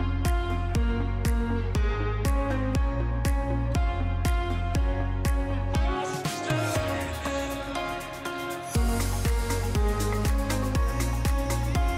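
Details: Loud electronic music with a steady beat at about two beats per second and a brief filtered breakdown; no animal sound is heard.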